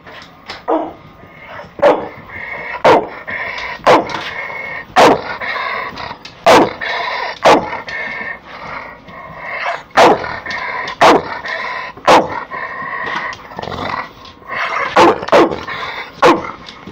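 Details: Snarling Pit Bull facing the camera: continuous throaty growl with strong tonal bands, interrupted about once a second by short, sharp barking snaps throughout.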